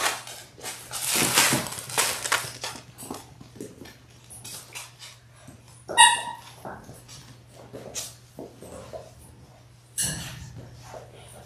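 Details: Indoor puppy cam of a six-puppy Labrador Retriever litter in its sixth week, born January 18, 2022, recorded February 28: scuffling and a short bark-like burst early on, then a single bright, high yelp midway, with scattered snorts, bumps and a constant low electrical hum.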